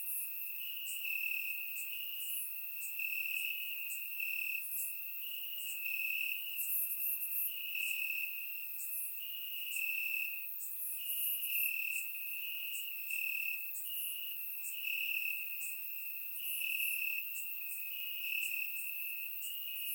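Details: Crickets sing in the grass during a warm Bulgarian summer night, surround-mic recording; a high trill breaks into regular bursts about every one and a half seconds, with scattered higher chirps from other insects.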